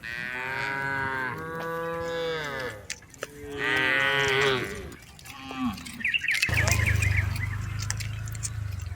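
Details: Tame herded cattle in a rice field give a run of overlapping long moos, then a low steady rumble with scattered clicks and rustle takes over in the last seconds.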